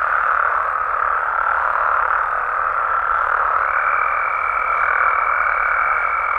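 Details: Night chorus of Mexican frogs and toads in the wild: thick, continuous croaking at an even loudness, joined at about the midpoint by a sustained high-pitched tone that holds to the end.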